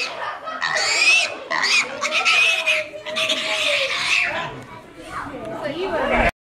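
Pigs squeal in shrill, harmonic bursts, with a person's voice mixed in.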